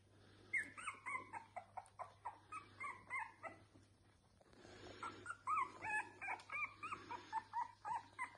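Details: Red Boston Terrier puppies give a rapid run of high, thin whimpers and squeaky yips, recorded 21 November 2021.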